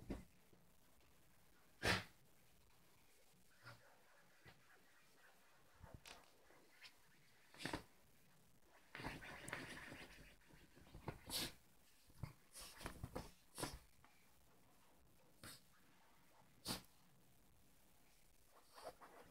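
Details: Yorkshire terrier Ronnie, indoors, playing with his pillow and trying to destroy his dog bed; short breathy snorts and wheezy sniffs burst out irregularly, with a longer rough snuffling run midway, over quiet room tone.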